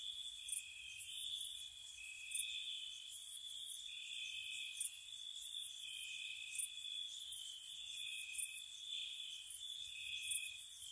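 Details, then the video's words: Crickets on a spring night by a cottage: a steady layered high trill runs throughout, with repeated bursts of very high, rapid chirps arriving in small groups about every one to two seconds. "Cricket Sounds"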